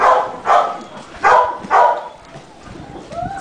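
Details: Rescue Staffordshire Bull Terrier, a nine-year-old brindle female from the pound awaiting adoption, barks four times in short, harsh bursts about half a second apart, then falls quiet apart from faint squeaks and a brief spoken word.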